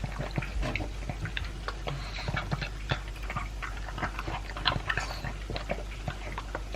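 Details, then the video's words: A two-year-old Pug eating dry food with a chunk of beef indoors; dense crunching and clicking chews with wet smacking, steady throughout. "Pug Eating Sound"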